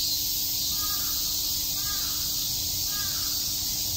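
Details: Cicadas buzz without pause through a summer day at Shakujii Park, Tokyo, as a crow gives three short caws over the high, hissing chorus.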